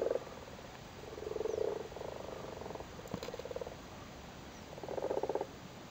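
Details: Spawning frogs in a flooded cattle grid in Cork, Ireland: soft low purring croak bursts separated by quiet gaps, with a short click near the middle and a final louder pulsed burst.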